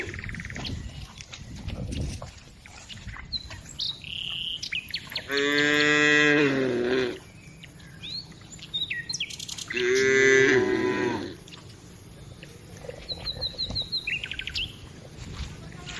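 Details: Village cows herded along on their daily walk, with two loud harmonic moos of about a second each, one near the middle and one later, amid chirping birds and scattered rural background noise.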